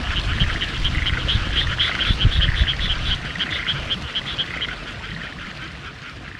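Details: Frogs calling in the countryside of Hitachiota, Ibaraki, Japan, on 6 May 2021, heard among fresh spring greenery during a drive. A fast, steady series of short, reedy pulsed croaks repeats several times per second over a low, constant rumble.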